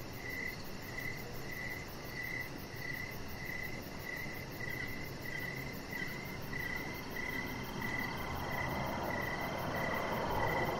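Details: Crickets chirping outdoors in the evening by a lit deck: regular high pulses about twice a second carry steadily, while a broader rushing noise swells and grows louder toward the end.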